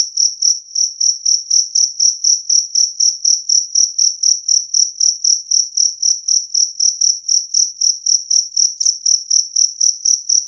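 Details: Steady train of around forty high, piercing two-spotted cricket chirps, each short and bright, repeating about four times per second without pause.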